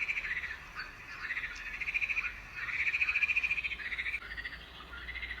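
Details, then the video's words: Frogs singing, a summer nature sound: rapid pulsed trills in bursts of one to two seconds that swell and fade, forming a continuous chorus-like texture with brief dips between phrases. "Це співають жабки."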